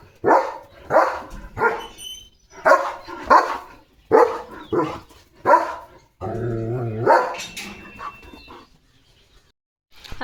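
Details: Morning barking from a German Shepherd chasing sparrows off a bird feeder at a farm; loud, punchy barks spaced about a second apart, followed by a longer, drawn-out harmonic whine-like bark.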